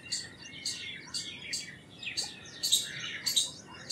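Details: Indian palm squirrel calling with sharp, high, clicky chips repeated about one and a half times a second in an uneven rhythm, with softer bird twitters in the background.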